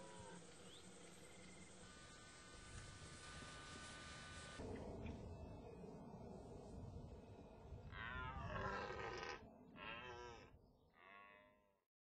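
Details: Dominant male deer during the rut: a steady droning, tonal background gives way near the end to several loud, harsh roaring bursts with falling harmonics, each lasting about a second, then fading out.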